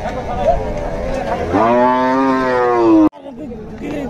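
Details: Cattle at Dhaka's Gabtoli qurbani market in 2022. One long, steady, deep moo holds for about a second and a half and then cuts off abruptly, with market chatter and crowd noise around it.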